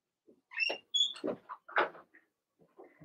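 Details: Blenheim Cavalier King Charles Spaniel puppies from a litter of six, two girls and four boys, born March 7–8 to their mother Remy, in an indoor puppy pen during potty training; a jumble of short high squeaks, whines and yelps, close together.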